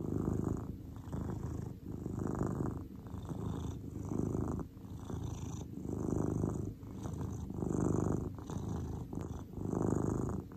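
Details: Steady low purr from Cordelia, a grey domestic cat at rest, the rumbling tone surging and easing rhythmically about every two seconds, with a quiet setting and no competing sounds.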